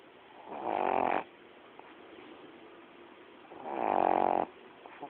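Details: Coco, a female pet dog, sleeping and snoring: two long, rasping, buzzy snores about three seconds apart, separated by quiet breathing.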